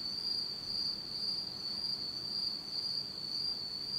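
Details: Autumn insect chorus at night in Japan in total darkness; a dense, constant shrill trill at a single high pitch, pulsing slightly in loudness.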